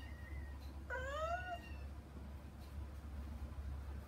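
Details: Domestic kitten, one of two young siblings kept out of a room behind frosted glass, meowing to get to their mother; a single clear, rising-then-falling meow lasting about half a second, preceded by a faint thin tone, over steady low hum.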